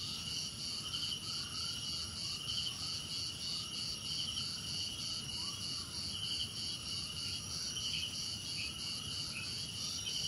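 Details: Unbroken high trilling from many crickets, rapid pulses layered at several pitches. Lower swooping chirps sound regularly in the background, with a quiet low hum.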